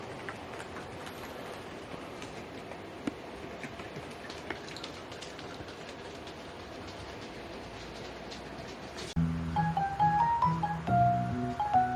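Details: Quiet indoor room noise gives way after nine seconds to light background music, with no dog or toy squeaks.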